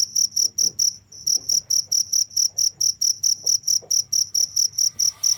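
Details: A cricket calls in a continuous run of high, clipped chirps, roughly two per second, briefly pausing near the start before resuming the steady rhythm over a soft low background hum.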